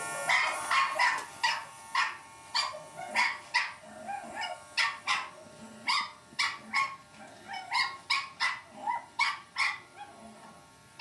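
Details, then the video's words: Lucy, a Cavalier King Charles Spaniel puppy, yapping in an epic battle with an electric shaver; quick sharp high barks in a fast run, some doubled, over a constant electric hum. "lucy cavalier king charles spaniel puppy vs electric shaver"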